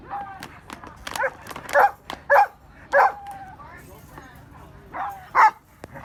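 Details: Behind the scenes at a dog show among exotic breeds, a dog barks in loud, harsh bursts roughly every half second to second, pausing, then barking twice more, with quieter voices and yips in between.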